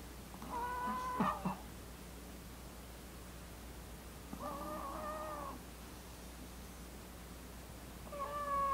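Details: A sleeping male Maltese (Canis familiaris), born December 2015, snores softly with whistling, nasal breaths about every four seconds.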